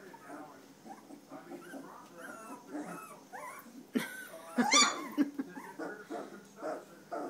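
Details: A litter of standard poodle puppies, three weeks old, sired by Levi out of Star, produce a busy chorus of piping squeaks and one loud harsh squeal midway, with a person's voice murmuring alongside.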